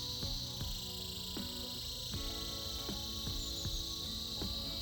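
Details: Cicadas in a winter chorus: a steady, bright, high-pitched buzz runs unbroken through the clip, over a plucked melodic music track with regular note onsets.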